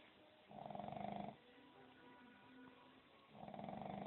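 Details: A sleeping dog snoring: two low, rough, buzzy breaths, each lasting just under a second, separated by a quiet gap of about two seconds.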